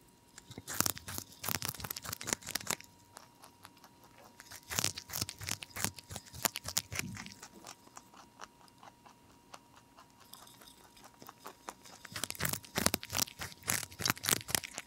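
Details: Pet rabbit ZZ, a lion head and Dutch mix, chewing broccoli: rapid crunchy bites in clustered runs, a lull in the middle, then another dense burst of crisp chewing toward the end, with a faint steady hum indoors.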